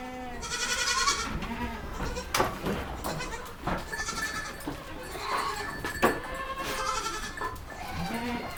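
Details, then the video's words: Young goats bleating repeatedly: loud, trembling, nasal cries roughly every one to two seconds, some overlapping, mixed with sharp knocks and shuffling sounds. "Baby goat sounds | Goat bah sound"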